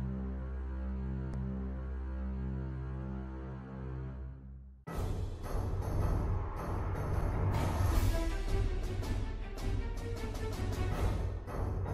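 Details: Ominous sustained low drones give way to loud, dense orchestral soundtrack music with heavy percussion hits, with no animal voice heard.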